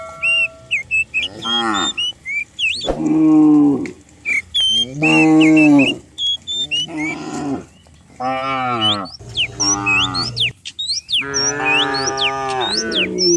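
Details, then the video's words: Dozens of cows herded down a hillside in the countryside in the morning, lowing in a series of long, drawn-out moos with rich harmonics, some rising then falling, separated by short pauses, while small birds chirp in quick high notes above. "Herding dozens of cows down the hill every morning, cow sounds"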